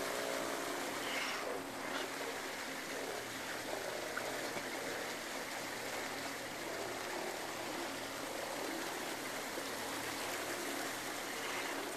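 Steady rushing water, like a stream or surf, with no animal calls standing out.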